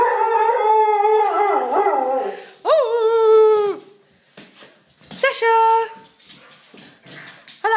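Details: Playing dogs, Sasha and her friend Topaz: sustained tonal howl-whines, warbling at first, then a sharp rise into a held level note about a second long, a pause with soft rustling, and another abrupt held cry near the end.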